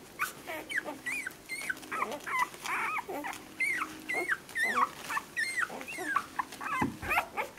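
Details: Seven-day-old orange female whippet puppy from a litter, recorded 28 April 2018; a rapid series of high, squeaky whimpers that bend up and down, several per second, with brief gaps and soft rustling.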